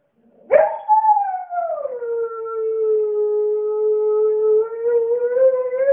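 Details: Maverick, a Siberian Husky, sings a long sustained howl lasting about five seconds, starting high and sliding down, then holding a steady tone with rich harmonics that lifts slightly near the end; quiet room, no other sounds.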